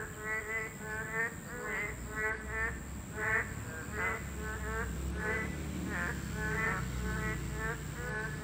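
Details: Boreal digging frogs, a protected species, calling at their breeding habitat. Repeated nasal croaks overlap from several callers against a low rumbling background and a thin steady hiss.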